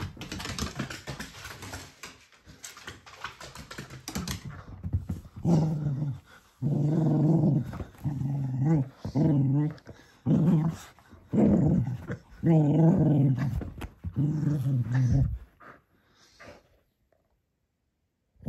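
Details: At bedtime a male Cocker Spaniel plays with his toy donkey: first a few seconds of scuffling and rustling, then a series of low, pulsing growls, roughly a dozen short bursts, fading to quiet near the end.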